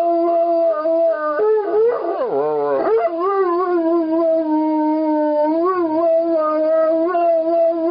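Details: Airedale Terrier singing: long wavering howls with a brief yelping, whimpering break in the middle, then a steady, slightly undulating tone resumes to the end.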